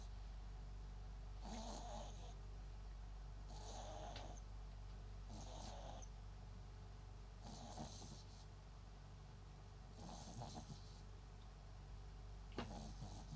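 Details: Sleeping Papillon × Japanese Chin mix dog MAX gives loud, raspy, snorting snores, each a rough rattling burst lasting about half a second and coming roughly every two to two and a half seconds over a low steady hum.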